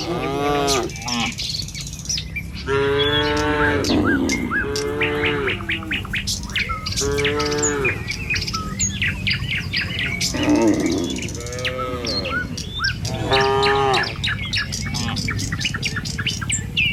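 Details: Tame village cattle in the morning, walking along a village road toward their pen: several drawn-out, arching moos, each about a second long, come every few seconds over steady chirping birds and a low rumbling background.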